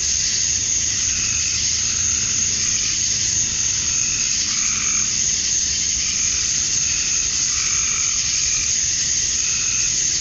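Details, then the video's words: Male cicadas in a summer-dusk chorus in Georgia, USA, chirping to attract females: a dense, unbroken high-pitched buzz holds steady throughout, while fainter lower-pitched tonal calls come and go every couple of seconds. "Cicadas at Dusk, Summer Night"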